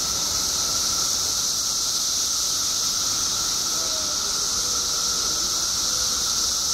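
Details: Periodical cicadas in Illinois, emerged by the billions after 17 years underground, produce an even, piercing chorus and constant droning whine, with faint brief whistles at moments behind it.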